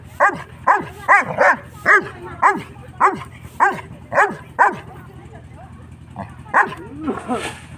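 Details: A 6-month-old Saint Bernard puppy barks at a goat, a steady run of deep, hoarse, short barks about half a second apart, then after a pause a few softer yips and barks, with a person's voice faintly heard.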